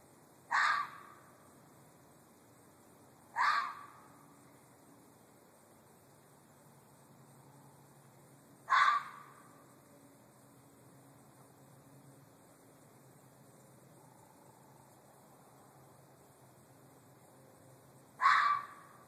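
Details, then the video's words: Short, rasping red fox screams, four in all, repeated at uneven intervals of about three to ten seconds over near-silence. "Fox screaming"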